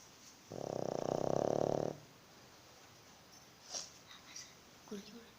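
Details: Pug snoring indoors; one long, loud, buzzy rattling breath lasting about a second and a half, followed by quiet and a few faint clicks and distant voices.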